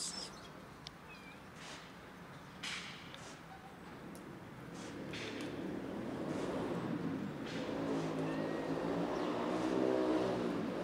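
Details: Calico cat with another fluffy cat, rolling on the ground. Faint short cries early on, then a louder, low, layered vocal sound builds and swells over the final seconds.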